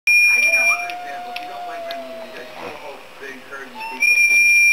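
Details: Buster, a Boston Terrier, singing along indoors with a Boston Terrier on a screen; a long steady whining howl holds level for about two seconds, then a shorter one follows, over loud high-pitched electronic beeping at the start and end.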